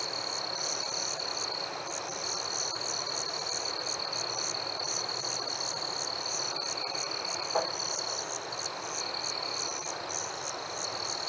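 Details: Warm summer night with crickets and fireflies: rapid, regular high chirps layered over a constant ringing tone, joined by a brief faint knock near the middle and gentle outdoor ambience.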